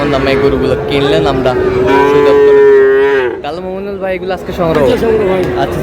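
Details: Friesian and cross-breed bull calves at Raniganj cattle market, Dinajpur, on 30 July: a long, rich, even moo of about three seconds that dips at its close, followed by shorter wavering lows amid crowd noise and talk.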